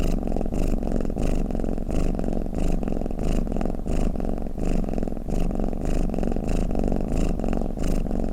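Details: Deep, soft purring snore from a sleeping cat, rising and falling with regular breaths, a warm steady rumble without background noise.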